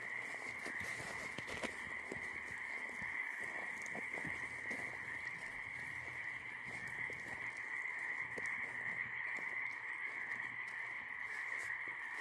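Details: Nighttime frog chorus heard on a walk: many overlapping croaks merge into a constant, even trilling drone, while soft crackling clicks come and go in the background.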